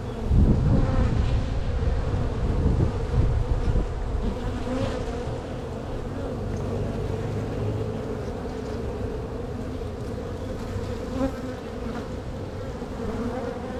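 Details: Honey bees in a strong, crowded spring hive being opened and split by a beekeeper looking for queen cells; dense steady low hum with layered droning bands, louder in the first seconds, with light handling knocks.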